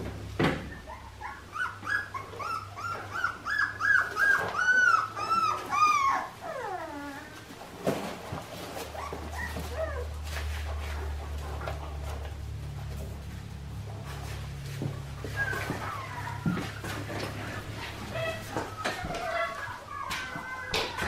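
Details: A litter of Australian Shepherd puppies, Clementine's pups, cries in a loud run of rapid, strained, descending whines at first. Quieter scattered yips and whimpers follow over a low mechanical hum.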